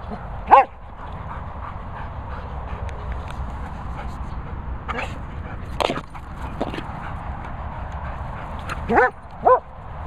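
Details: German Shepherd named Lucy giving a few short, sharp barks and yips spaced across several seconds, with one near the start, one midway and a quick pair near the end, over low steady background rumble.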